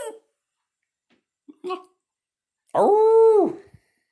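Brief soft vocal sounds come first. Then a Basenji lets out a strong, sustained yodel with a rich harmonic tone, arching up and sliding down over about a second.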